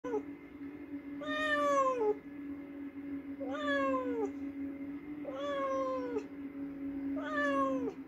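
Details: Domestic cat meowing after hunting a mouse: four drawn-out, falling meows about two seconds apart, each starting high and sliding downward, over a steady low hum.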